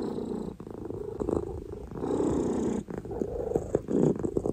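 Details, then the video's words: Oreo, a pet cat, purring close up: a dense low rumble rising and falling with each breath, broken by soft clicks and rustles. "Sounds of Oreo"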